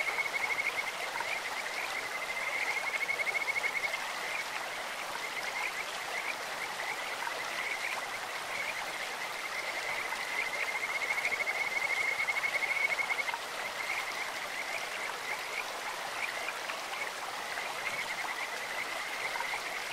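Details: Bird-like trilling chorus of Kajika frogs from a clear stream: two long, bright swelling bouts of rapid pulsed notes at a steady pitch, with softer frogs calling between them and a continuous stream murmur underneath.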